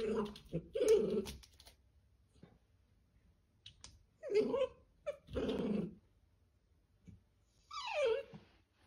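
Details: Pet Dachshund indoors in a small room making rough growling grumbles that alternate with nasal whines, in irregular bouts separated by pauses, over a faint low background hum.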